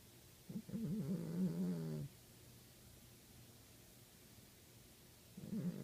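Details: Savannah cat snoring: a wavering, tonal low breath lasting about one and a half seconds, then a quiet pause of about three seconds before the next breath begins.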